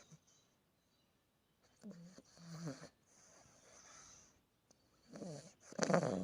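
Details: Sleeping Australian Bulldog puppy snoring: throaty, rattling snores with wheezy harmonics come in bursts near two and five to six seconds, separated by quiet breathing and a soft hiss.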